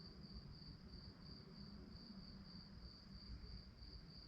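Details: Crickets at night producing an unbroken, shrill, rapidly pulsed chirp at a steady pitch, with faint low-frequency rumble underneath.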